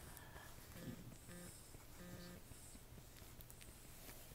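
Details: Newborn French Bulldog puppies, the litter of Anais and Hobbit, born October 29, 2011: a few short, low, tonal whimpering squeaks near the first and second seconds, then soft shuffling over a quiet, steady indoor hum.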